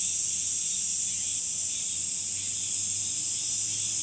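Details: Chorus of summer cicadas: a continuous shrill, hissing buzz, very high and even in loudness from start to finish, with only a faint low hum underneath.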